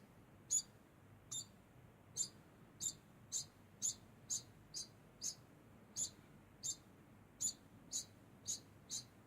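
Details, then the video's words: Steady high-pitched squeaks from a degu, about fifteen brief, sharp chirps spaced at fairly even intervals under a second apart, with only a faint low hum behind them. "Degu makes constant sound"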